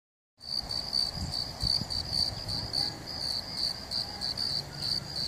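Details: Crickets calling in California: a continuous high, shimmering trill pulsing rapidly and evenly without pause, with faint low background rumble.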